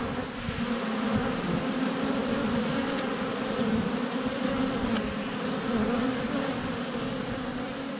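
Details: Close-up honey bee hive entrance on a sunny February day, GoPro less than a foot away; steady rich buzzing of bees in flight, with two sharp clicks as bees strike the camera.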